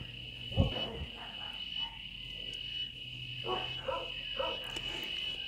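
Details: The season's first cicada song, heard from a terrace among trees in Sonora at about 9:44 on a weekend morning, is a steady, high, unbroken buzzing drone, taken locally as a sign rain will soon come; a woman talks intermittently, with a brief thump near the start.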